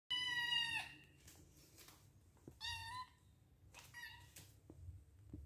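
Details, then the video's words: Kitten, white cat named Tom Kha, asking for food indoors: two loud high meows, the first long and rising, with a third shorter mew about three seconds later; small taps and soft room noise between. "มาฟังเสียงลูกแมวร้อง บ่นพ่อ เทข้าวให้หนูช้า!/ kitten make a noise for food!"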